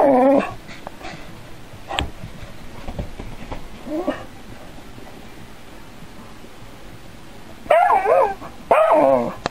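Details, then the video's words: Dog reacting to an android robot cat, curious yet frightened; a few short whimpering yips near the start, a quiet stretch, then two louder wavering whines close together toward the end. "ロボット猫と犬（RobotCatVsDog） 興味深々でも怖い～"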